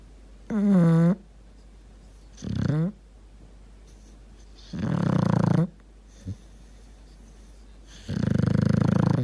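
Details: Dog snoring and gurgling in deep sleep indoors: four breathy, low rumbling snore bursts, each about half a second to a second long, spaced roughly two to three seconds apart, some carrying a tonal, whistling edge.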